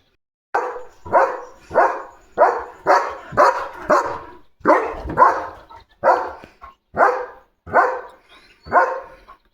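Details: Guarding German Shepherd Leo barks at a parcel delivery: a long run of about fourteen rough barks over nine seconds, some in quick pairs, with brief pauses between.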